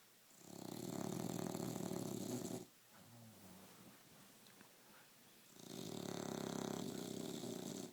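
An English Bulldog snores in long, rasping, rattling breaths, each loud surge separated by a quiet pause.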